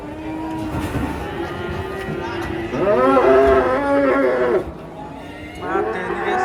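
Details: Cattle running amok while coming down off a truck: a low droning moo, then a loud harmonic bellow lasting about two seconds, and another rising moo at the end, with people's voices behind.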